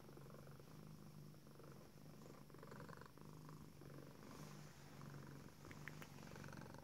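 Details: Contented purring from Selina, a female tuxedo cat stretching in her favorite cat tree at home; soft, even low rumble in regular pulses, slightly quieter, with a few light rustles and clicks.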